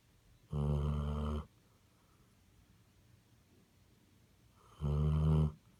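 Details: Sleeping Basset Hound gives two rasping, trumpet-like snores about four seconds apart, each close to a second long, with soft room hush in between.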